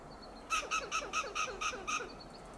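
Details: A western gray squirrel scolds from a coast live oak in Del Monte Forest, California. Its alarm call is a rapid run of eight rasping, clucking pulses, with a faint high chirp before and after.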